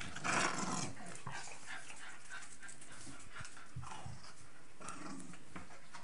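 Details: Two Staffordshire Bull Terriers, female Nelly (12 months) and male Rip (7 months), playing together: a burst of rough growling at the start, then scattered scuffles, snorts and soft panting.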